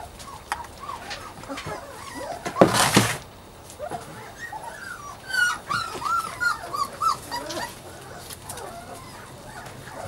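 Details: Puppies at play let out a quick run of short, high, squeaky yips and whimpers, several each second. A loud rustling burst comes early on, and faint human voices sit in the background.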